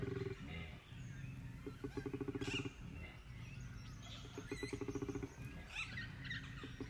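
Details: Wild koala in Belair National Park, South Australia, giving a rare call: deep, rasping, snore-like pulsed bellows in repeated bursts, low and buzzy with harmonics, separated by short pauses, with faint outdoor background.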